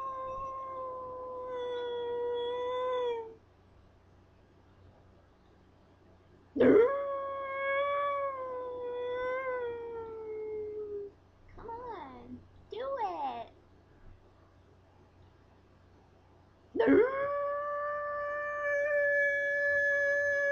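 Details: Pet Scottish Terrier, teased by its owner into singing, gives long steady howls with rich harmonics, one rising sharply then holding, plus short bent yelps between; a faint low hum runs underneath.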